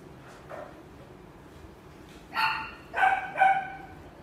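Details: Female Shetland Sheepdog puppy, sable and white, born October 2017, at a pet shop: a faint early yip, then three clear, tonal barks about half a second apart over a low background hum.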